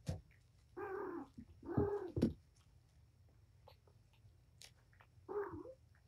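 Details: Patience, a domestic cat mother at Purrfect Pals, wound up and playing with her five kittens in a room: two short harmonic meows close together, then a third after a pause, among bumps and scuffles.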